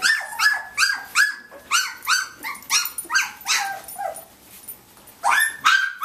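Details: Nineteen-day-old Samoyed pups from Athena's litter play on Thanksgiving, one voicing a quick run of about a dozen bright, arching yips, each sharply rising and dropping, before a brief lull and a new burst of squeals.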